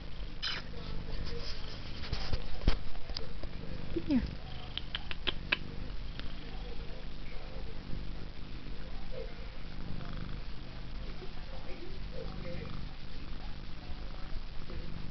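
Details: Female house cat purring, her purr likened to a helicopter: a steady, deep, low rumble running throughout, with a person talking softly over it.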